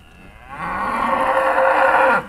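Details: Trained Charolais cow from 2017, lowing as its owner calls it to come. The brief, loud moo lasts about 1.6 seconds, scoops upward at the onset, then holds a steady tone before stopping abruptly.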